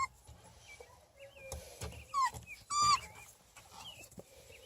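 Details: Three-and-a-half-week-old Beagle puppies, litter in chocolate, tricolor and bluetick born June 1, 2018, playing outside; two sharp high whining yelps with bending pitch stand out among faint squeaks, with thin chirps and soft rustling behind.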